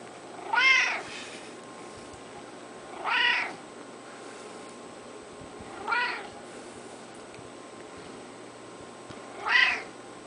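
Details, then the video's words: Screamer, a male house cat, meows repeatedly as he is petted; four bright, rising-then-falling meows come roughly every three seconds against faint background hum. "Kitty Cat Meowing, Happy cat"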